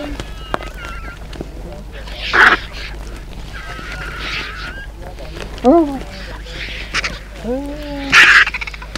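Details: Hyenas squabble over a wildebeest kill while vultures press in to join: brief rising-falling harmonic yelps stacked in chevrons appear twice, between sharp broadband bursts of scuffling and flapping, with faint higher squeals early on.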